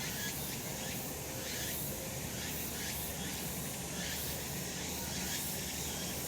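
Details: Cicadas calling on a summer mountain in a sunny spot: a dense, hissing high-pitched drone with faint pulses about once a second, over a low steady rumble.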